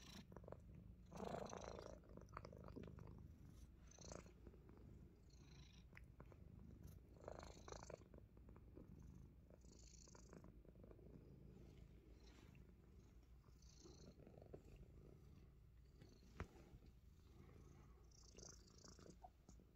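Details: Pet Himalayan Persian cat, fond of biting fingers, keeps up a gentle low purr throughout, overlaid by frequent rustles, faint hissy breaths and scattered clicks from close contact.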